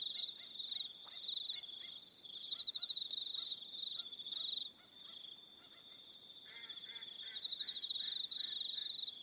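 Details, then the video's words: Crickets trilling in the evening at Aroha Island, New Zealand; continuous high shimmering chorus of overlapping pulsed notes, with softer lower chirps scattered through and a brief dip midway. "Relaxing Evening Sound of Crickets"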